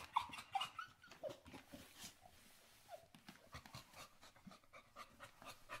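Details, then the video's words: Female Staffordshire Terrier indoors, panting in quick irregular breathy bursts, with brief high thin whimpers near the start and soft vocal reactions scattered through the panting. "Staffordshire Terrier - Female panting whimper and vocal reactions"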